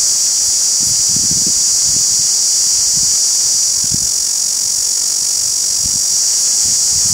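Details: Cicada from India giving a continuous, shrill, high-pitched buzz that holds steady and unbroken throughout, with a few soft low thumps underneath.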